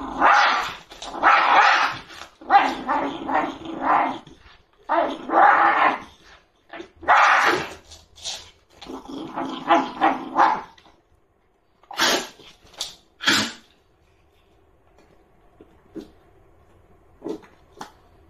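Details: Shiba Inu guarding its food bowl indoors while a bowl is moved with a stick during food-guarding training: a run of loud, harsh growling barks in bursts for about ten seconds, then a few sharp short sounds and quiet.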